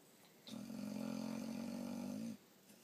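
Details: Sleeping dog, snoring like a human, lets out a single steady, droning snore lasting about two seconds, smooth and even in pitch, with quiet room background before and after.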